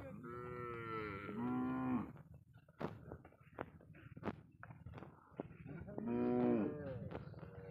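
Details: Cattle smuggled across the Indian border and kept on a Padma river char: two long, droning moos with rich harmonics, separated by knocks and thumps, with faint background hum.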